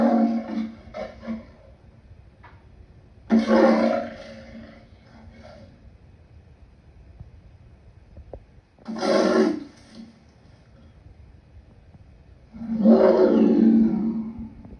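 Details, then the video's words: Lion giving a series of rough, gravelly roars and grunts, four main bursts spread across the recording with quieter rumbling gaps between them. "Lion sounds"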